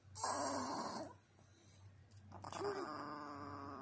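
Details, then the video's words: At bedtime a Chihuahua gives two rough, breathy growling bursts, each about a second or more long, separated by a quieter pause. It is indoors and being urged to come to bed. "Chihuahua becomes Devil-Dog at bedtime."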